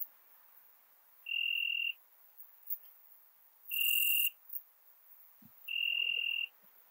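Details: Ringed bush-cricket, Biedermannsdorf, Austria, 8 August 2022, picked up with a Pettersson D 100 ultrasound detector. Three steady, pure, whistle-like tones, each about half a second long, come roughly every two and a half seconds over a soft hiss.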